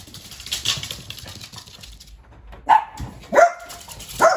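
A Dachshund gives three sharp, high-pitched barks, spaced under a second apart, after a stretch of soft rustling.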